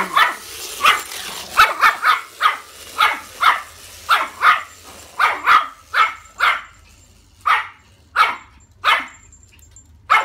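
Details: Female Yorkshire Terrier afraid of her toy, barking persistently: about seventeen sharp, high-pitched yaps in irregular bursts, some paired, with brief gaps and a faint low hum in the background.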